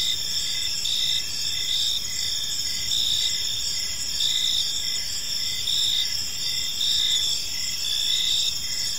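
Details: Gentle chirping of crickets as evening unfolds in a serene park: dense high insect trills with evenly spaced short pulses beneath, and gentle rises in volume roughly every second.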